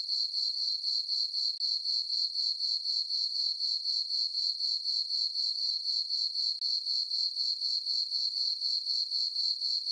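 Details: Crickets chirping in a meadow on a farm on a summer night under a full moon: a steady, high, shrill trill pulsing about four times a second, with no other sounds.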